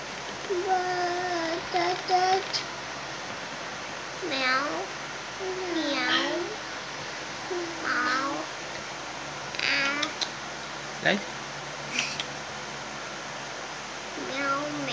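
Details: Light, a pet Persian x Siamese cat, meowing in a string of clear, drawn-out calls roughly every one to two seconds, some rising then falling, others bending downward, over a quiet steady background hum.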